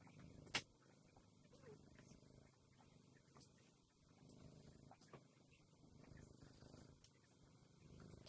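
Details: Soft, steady low purring from a cat on a day of feeding yard and stray cats and preparing for winter, with scattered faint clicks and a little quiet speech in the background.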